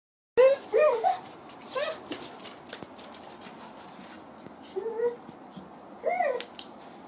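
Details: Dachshunds that have found a ringtail possum give excited, rising whimpering yips, several in a quick burst at the start and more near the end, with faint rustling between them.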